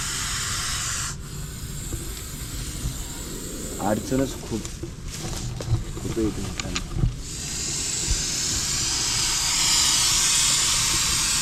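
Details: Russell's viper hissing during a rescue operation. After a stretch of people talking, a steady, loud breathy hiss builds and holds through the final seconds, over rustling and background noise.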